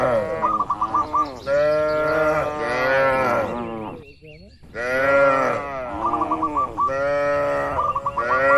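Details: Cattle in a spacious barn on a traditional livestock farm, dozens of cows resting and moving about; long, deep, overlapping lowing in two dense bursts separated by a brief quiet gap, with quick chirping notes above.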